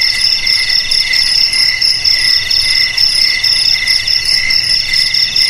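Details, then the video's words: Shrill, continuous cricket trilling from multiple insects at distinct high pitches, the pulses coming fast and evenly with a gentle rhythmic swell in loudness. "Suara JANGKRIK Pengusir TIKUS"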